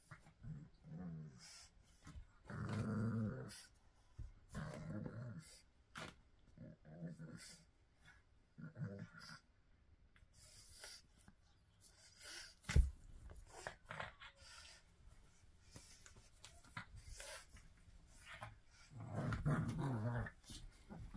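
A pug snorts and snuffles in short, irregular bursts, with a low grumbling undertone.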